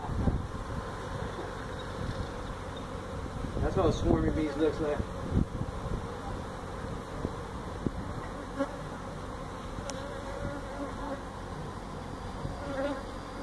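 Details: Feral honey bees taken out of a tractor tire hive in a tire stack at a citrus orchard, Mission, Texas; a steady low buzzing drone, with a brief burst of voice about four seconds in and light clicks after.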